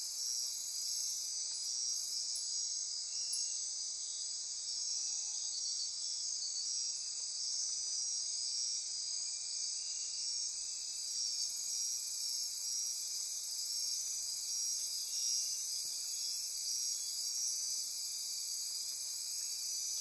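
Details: Midnight insect chorus from rainforest on Costa Rica's Osa Peninsula near Corcovado National Park; continuous shrill trilling and pulsing at high pitch, with a brief extra ratcheting burst near the top early on and again around the middle.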